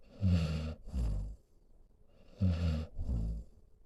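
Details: Heavy sleeping breaths from Solomon, an elderly pit bull mix resting next to his owner: two snore cycles, each a low vibrating rattle then a breathy, snuffling exhale, with a short hush between.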